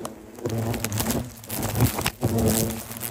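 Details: Hornets from a disturbed nest in a plum tree attack a beginner after a ladder is placed against the tree. A low, droning wingbeat buzz with stacked overtones swells and fades as the insects pass, mixed with clicks, knocks and handling noise.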